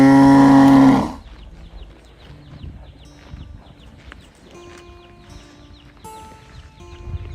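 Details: Calf searching for its mother gives a single loud, strained bawl of about one second at the start, followed by quiet with faint chirping and rustling.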